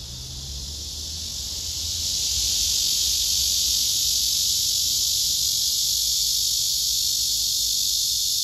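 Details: Serenading male cicada with a female below him retreating; his shrill, sustained buzz swells over the first two and a half seconds, then stays loud and unbroken.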